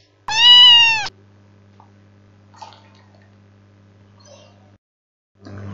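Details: Cat sound played back during an English lesson: one clear, drawn-out meow lasting under a second, followed by a low steady hum and faint clicks.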